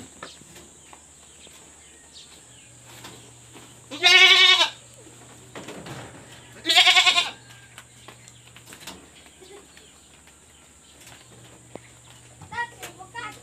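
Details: Pregnant goats kept on a backyard farm, fed ipil-ipil; two strong wavering bleats, each lasting under a second and about three seconds apart, followed by a soft later bleat over a steady low hum and quiet background.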